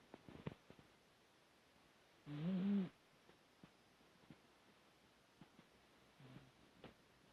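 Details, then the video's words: Snoring dog indoors: one loud, low, rattling snore lasting over half a second, then near silence with small rustles before a weaker, shorter snore about four seconds later. "코고는 개 snoring dog"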